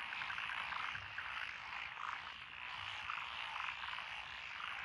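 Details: Frog chorus along a country road through lotus rice paddies in Echizen, Fukui, Japan, recorded 12 June 2021, with tree frogs, pond frogs, wrinkled frogs, Schlegel's green and forest green tree frogs; a dense, continuous trilling wash with pulsed croaks throughout.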